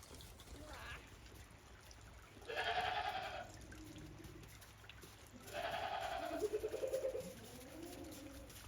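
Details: Two long, quavering goat bleats, about three seconds apart, over a quiet steady hiss; the goats are out on fresh snow after a heavy snowfall at Yoshigake farm, Japan, on 28 December 2023, walking cautiously.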